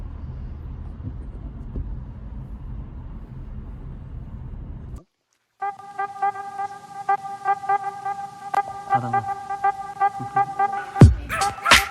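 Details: Low rumbling background gives way after a brief gap to tonal music with sharp clicks; no animal calls are heard.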